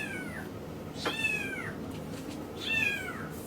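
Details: Male Miniature Schnauzer puppy, born 13 August 2015, indoors at a pet shop in Yokosuka, Kanagawa, Japan. It gives three high, thin whines about a second apart. Each whine arches briefly and then slides downward. A soft room hum sits beneath.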